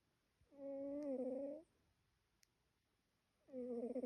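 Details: A sleeping female pet cat snoring: a steady whistled, humming tone with a faint overtone sounds for about a second on each breath, returning about three seconds later in a quiet indoor setting.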